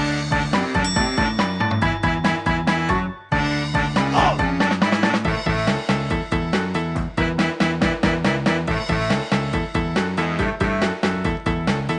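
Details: Upbeat instrumental music with a steady bouncy rhythm and bright chiming notes plays throughout, broken by a brief pause near three seconds, with no animal voices.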